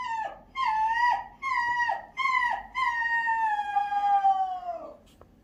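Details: Shiba Inu dog howling: a run of four short whining cries that dip at each end, then one long howl sliding slowly downward and fading.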